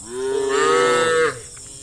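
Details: A single cow from a herd driven through a village to the farm gives one loud, steady, drawn-out moo lasting just over a second, ending abruptly.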